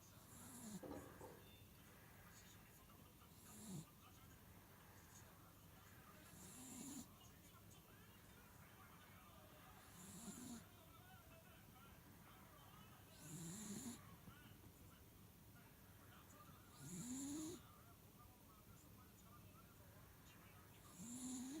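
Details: Sleeping pet miniature dachshund snoring indoors: soft rasping breaths about every three to four seconds, each rising slightly in pitch with a faint hiss on the exhale, under low steady room noise.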